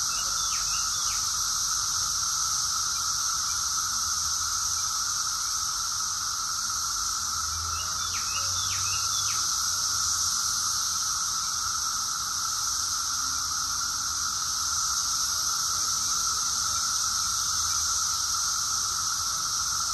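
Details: A summer chorus of cicadas in Rockville, Maryland, USA, in June 2021: a steady, high buzzing runs unbroken, with a few brief bird chirps.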